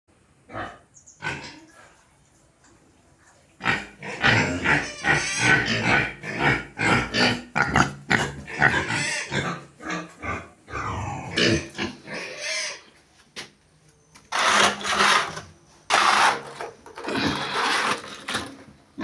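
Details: Pigs on a farm: a quiet start, then dense runs of rough, rapid grunts for about nine seconds, followed by loud, harsh, noisy squeals in short bursts near the end.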